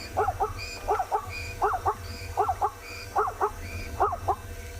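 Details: On a sunrise game drive on 5 October in Tswalu Kalahari Reserve, South Africa, a plains zebra, possibly a stallion, gives a string of yelping, two-part, dog-like barks about once a second.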